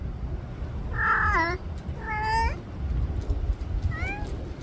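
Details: Cat whose calls sound like a gasp: three short breathy meows, the first two close together and falling in pitch, a fainter rising one after a pause, over a low rumbling background.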